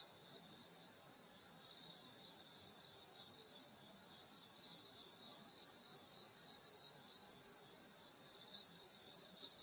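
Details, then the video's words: Insects singing on a summer night in the countryside at a grandmother's house in Korea: a dense, continuous high-pitched trilling chorus with steady rapid pulses, several overlapping bands of ringing chirps, no other voices. "여름소리 풀벌레소리 시골밤소리"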